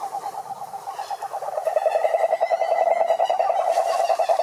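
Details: A chorus of cururu toads, Rhinella marina, at a Brazilian Atlantic Forest lake. Rapid, buzzy pulsed trills overlap at one mid pitch and grow louder toward the end, with a higher faint tone drifting above.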